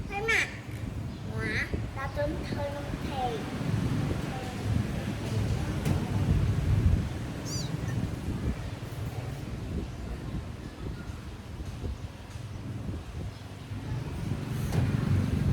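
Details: Kitten meowing while its long, sharp nails are trimmed: a few short, wavering cries in the first three seconds, one falling, then mostly rustling, handling noise and low background rumble.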